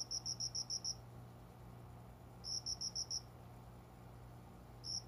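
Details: Cricket calling just after 5 a.m. at dawn from a small plant area by a closed window indoors in summer, unseen; high, bright chirps in quick bursts of four to six pulses, pausing between bursts, over a low steady room hum.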